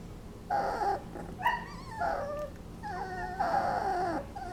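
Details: Twenty-day-old Basset Hound puppies napping, making funny noises: a run of short squeaky whines and yips, some wavering and gently falling in pitch, coming in bursts close together with quiet breathing room between.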